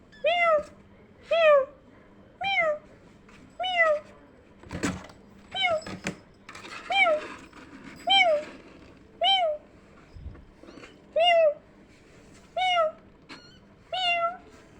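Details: Kittens responding to a meow-like sound: a steady series of short, arched meows roughly every second, evenly loud, with a few sharp knocks in between.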